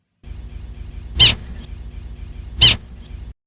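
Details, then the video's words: Prairie dog alarm call given whenever a hawk appeared, a short single-note bark: two brief sharp barks about one and a half seconds apart over a low background hum. "And sure enough, whenever a hawk appeared, the prairie dogs made this sound."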